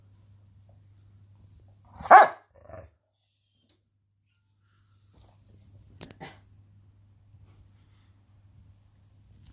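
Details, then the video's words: A single deep, loud bark from Sila, a 9-year-old female Rottweiler Presa Canario cross, excited during play, followed by a short softer yelp; a brief scratching rustle comes a few seconds later amid a quiet indoor hum. "Sila scratching her bed and being a crazy dog!"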